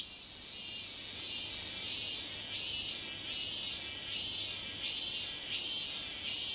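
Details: Cicada heard at a distance, a quieter shrill song of evenly spaced buzzy pulses, roughly one every seven-tenths of a second, over a continuous high hiss.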